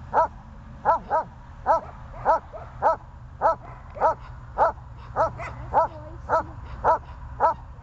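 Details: Repeated high-pitched barking from a dog, recorded 14 January 2020: about thirteen short yaps in eight seconds at a fairly even pace, with a soft steady background hum.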